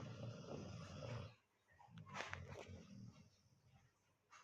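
A sleeping Golden Retriever puppy snores with low, rumbling breaths.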